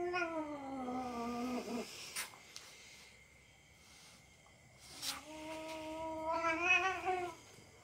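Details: Domestic cat play-fighting with a young dog, a game the cat tolerates. It gives two long, drawn-out yowls, the first steady then sagging, the second rising and wavering, with a short thump between them.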